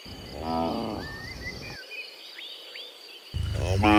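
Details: Cows walking home from the fields to the pen in the afternoon; a moderate moo early on, a pause filled with whistled bird notes, then a louder moo beginning at the end.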